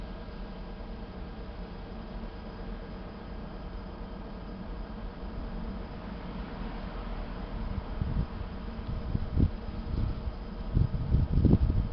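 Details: Constant broadband hum of fan-like noise with some low rumbling knocks toward the end, with no animal voice heard.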